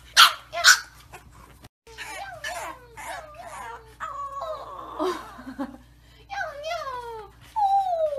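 A bulldog puppy gives two sharp yips, then a run of high, wavering whines that slide downward.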